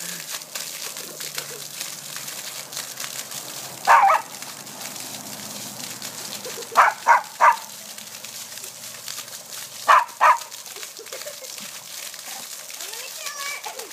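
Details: Whippet puppy playing and jumping through a sprinkler geyser, giving short sharp barks in bursts: one near four seconds, a quick triple around seven seconds, then a pair at ten, over a steady hiss of spraying water.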